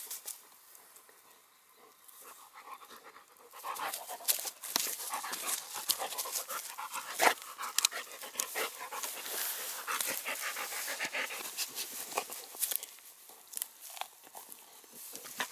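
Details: During rough play, a female Cane Corso and a Dogo Canario mix give quick, hoarse panting breaths that grow louder after the first few seconds, mixed with scuffling and thumping from the romp.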